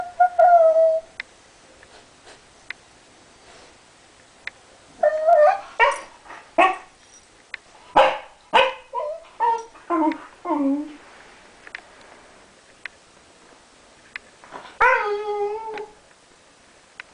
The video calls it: Gigi corgi's silly barks